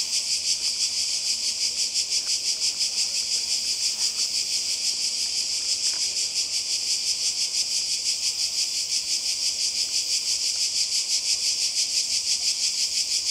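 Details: Seaside cicadas in Croatia during summer 2020 buzz in an unbroken, piercing drone. The drone swells and fades evenly about three times a second, with faint taps in the background.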